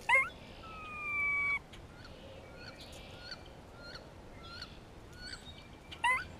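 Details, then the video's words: Spring grey squirrel vocalization with a hawk in the area: a sharp rising onset, then a long steady tonal whine of about a second and a half. Light ticking sounds follow, and another call begins at the end. "Grey squirrel vocalizations"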